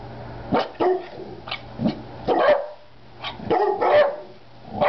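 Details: Rat Terrier named Peanut obeying a "Speak" command while a big black dog waits nearby; about six short, punchy barks, some in quick pairs, over a faint low hum.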